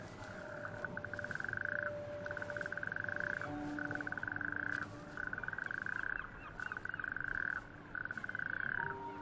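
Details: Natterjack toads chorus from small bare-rock islets of an outer archipelago on a warm May evening: males call at night, inflating big vocal sacs to attract females, with loud rattling trills repeating in bursts of about a second.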